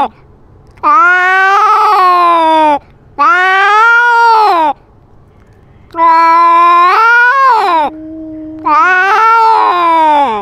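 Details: Domestic cat fighting and asserting dominance over its territory, filmed with a GoPro: four long, drawn-out harmonic wails, each about two seconds, rising then sagging in pitch, separated by short quiet gaps.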